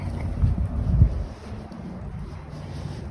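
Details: Low, rumbling wind and engine-like noise fills the recording, with no animal voice.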